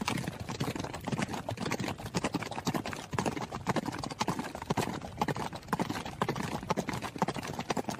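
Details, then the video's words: Running horse: rapid, uneven hoofbeats drumming on the ground, roughly two strikes a second, with dense overlapping thuds and no other clear sounds. "HORSE RUNNING SOUND"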